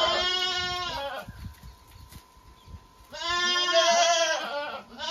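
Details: Two long, strongly harmonic goat bleats, each about a second or more, wavering in pitch, separated by a two-second gap with a faint steady tone in the background.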